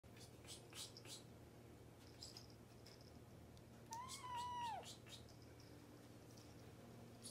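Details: A Persian cat, described as angry and hungry, gives a single drawn-out meow that rises and then falls, a hungry plea.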